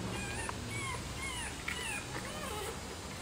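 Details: Rottweiler puppies nursing from their black mother, who has only a little milk. Thin, high whimpering squeaks from several puppies rise and fall in short overlapping arcs over a steady low indoor hum.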